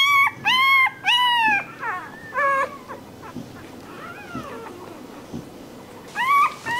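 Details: Puppy crying in a few loud high whimpers at the start, then quieter wavering whines over a background rumble, with one more loud whimper near the end.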